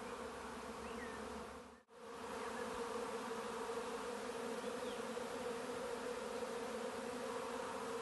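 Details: Constant low droning of bees near their hive, the buzz cutting out abruptly for a split second near the two-second mark before resuming evenly; a couple of faint bird chirps far behind.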